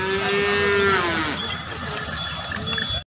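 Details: Cattle at the busy Dharangaon bullock market on a Thursday. A sustained harmonic moo slowly falls in pitch near the end, with constant crowd chatter and a faint metallic chiming behind it.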